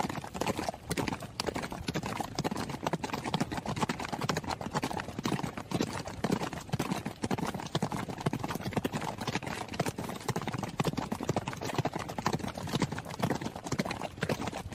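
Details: Fast hoofbeats from a horse on the run: clattering, percussive strikes follow one another closely and irregularly, a continuous drumming texture at steady volume with nothing else clearly heard.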